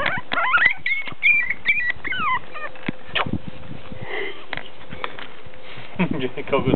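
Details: Five-week-old Teacup Chihuahua puppies outside for the first time: high, thin squealing whimpers that rise and fall in a quick burst at the start, then a fresh run of short squeaks near the end, with women talking over them.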